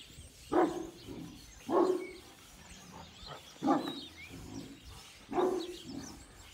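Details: Kangal at a dog breeding farm gives four loud, deep single barks spaced one to two seconds apart, each trailing into a softer low grunt, with quiet bird twitters behind.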